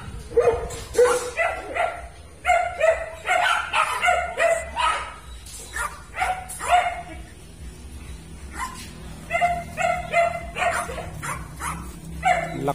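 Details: Rudy, a pet Siberian Husky, gives a run of short tonal yelps and whiny woos in quick bursts, pitch wavering up and down, with quiet pauses between phrases and soft music in the background.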